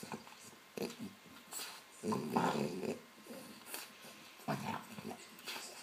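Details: A French Bulldog playing with a tennis ball it was given makes rough, throaty growls and snorting grunts in short irregular bursts.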